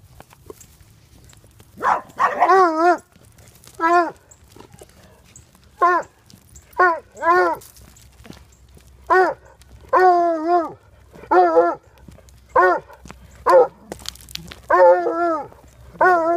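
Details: Goofball, a female hound in foster care and up for adoption, gives loud, tonal, baying barks one after another, about one each second, some drawn out and wavering, with short pauses between bursts.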